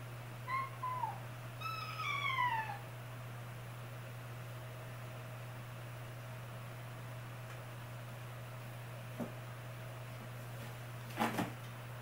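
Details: Kitten brother and sister crying indoors, scared on a cat tower they managed to climb but cannot get down from: a short meow, then a longer plaintive meow sliding downward, followed by quiet room hum and a soft knock near the end.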